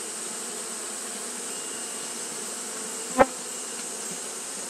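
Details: Japanese honey bees fanning on a hot day give a softer, even hum with low drone bands; one sharp click cuts through just after three seconds.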